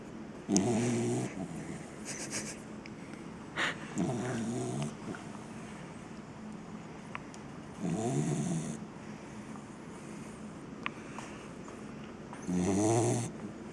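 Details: A 7-month-old English cocker spaniel snores while sleeping, a deep rumbling breath returning about every four seconds.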